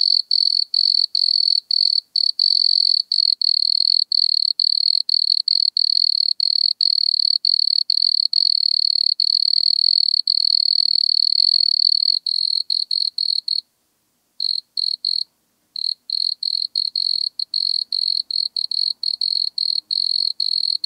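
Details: Nemobius sylvestris, the wood cricket, recorded at Altenberg, Austria, 9 August 2022, with an ultrasound detector: a sustained high, steady purring trill for about twelve seconds, then shorter chopped bursts with a couple of silent pauses.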